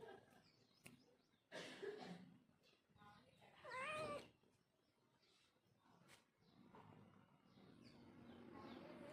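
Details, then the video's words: Domestic cat giving a single short, arched meow midway, preceded by a quieter chirp-like call, amid clicks, thumps and a steady low household hum. "Cat sound Effect"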